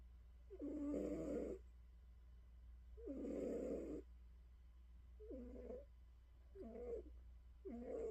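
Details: House cat snoring while settling down before sleep: five rough, droning snores, each about a second long and roughly two and a half seconds apart. The last three are shorter, over a steady low electrical hum.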